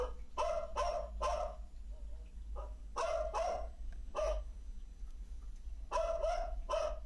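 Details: Neighbours' pet dogs barking at night in Trindade, recorded over three days and played back, seeming to answer one another; short sharp barks in clusters of two or three, about a dozen in seven seconds, over a steady low hum.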